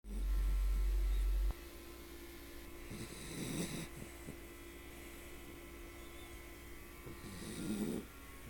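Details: A 10 lb Bichon mix sleeps in someone's arm, giving soft, airy snoring breaths about four seconds apart; a loud low thump opens the recording, with a faint steady hum in the background.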